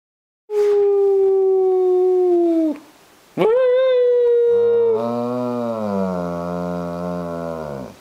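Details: Female German Shepherd howling at home: a long steady tonal howl with rich harmonics, a brief pause, then a second howl that slides slightly downward and fades out toward the end.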